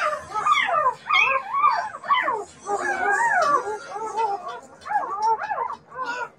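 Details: Several Siberian Husky puppies howling and whining together, wavering tones that rise and fall and overlap in bursts of about a second, separated by short pauses.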